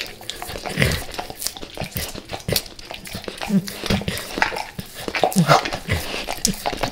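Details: Max, a dog eating natural peanut butter and peanut butter oil before leaving El Paso: wet licking and lip-smacking in uneven bursts, a few short squeaky nasal whimpers near the middle and end, small indoor room.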